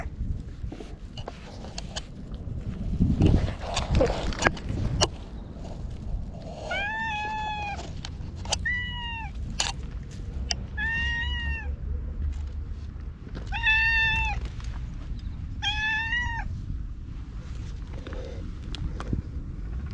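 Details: Talkative ginger tabby stray, filmed with a GoPro, rubbing against a person: after rustling and handling thumps comes a run of about six short, arched meows spaced one to two seconds apart, then quieter rustling.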